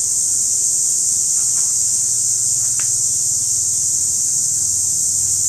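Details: Periodical cicada calling, filmed close up in trees: a loud, steady, high-pitched continuous buzz that holds unbroken throughout, with a faint low hum beneath.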